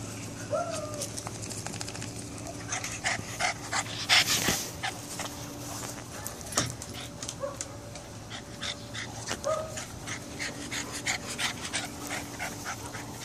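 A Boston Terrier gives short, high, whiny yips at irregular intervals over steady background noise.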